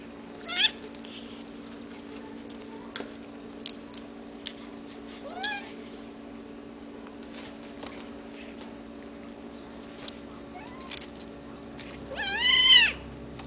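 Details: Hairless Sphynx and Bambino kittens from a cattery litter mewing indoors: thin, high, wavering mews scattered through the recording, with a louder burst of several harmonic cries near the end over a steady low hum.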